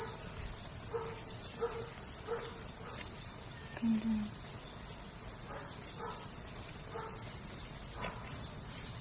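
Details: Constant shrill, high-pitched cricket buzz, locally kuliglig, fills the whole recording; intermittent distant dog barks and a brief low sound mid-way are heard beneath it.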